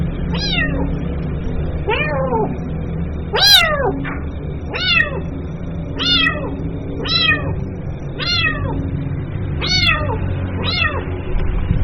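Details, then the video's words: Kitten calling its mother: a run of about ten high, falling meows, each bending downward in pitch and spaced roughly a second apart, over a steady low hum. "SUARA ANAK KUCING MEMANGGIL INDUKNYA"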